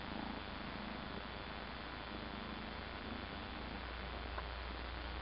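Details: A 13-week-old Egyptian Mau kitten purrs at the camera, a continuous low throbbing rumble with no breaks, set against faint indoor background hum.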